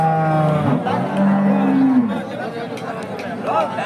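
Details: Hallikar cattle at the KG temple cow market in India: a drawn-out moo rising slightly then falling over about two seconds, with men talking in Kannada and crowd chatter behind.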